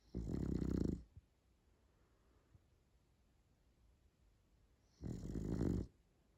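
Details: French Bulldog snoring indoors: two long rasping snores, each lasting just under a second, about four seconds apart, with near silence between them.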